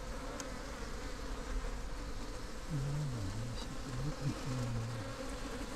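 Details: African honeybee swarm, Apis mellifera scutellata, hand-caught from a cooler box on the Highveld ahead of a storm; continuous low buzzing drone with wavering lower tones in the second half and faint clicks.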